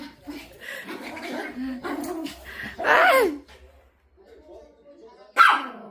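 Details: Pet dog running away from having its fur brushed after a bath, giving a few sharp high barks and yips between a woman's speech and laughter, with a loud single yelp near the end.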